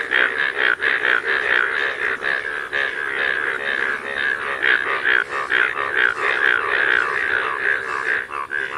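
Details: Rain frogs in fields during rain give a steady run of nasal, wavering cries, about two every second.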